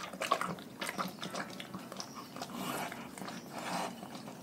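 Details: Pack of domestic dogs eating a raw food diet. Continuous wet crunching, chewing and smacking with irregular sharp cracks throughout.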